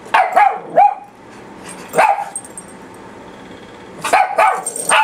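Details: Shrill yapping from two papillons, with several quick barks up front, a lone bark midway, then another fast flurry of high-pitched barks at the end.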